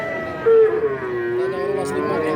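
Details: Young feeder cattle at the Wednesday market in Kajen, Pekalongan, Central Java: a sustained moo that starts loud, dips slightly and holds a steady tone to the end, with market noise beneath.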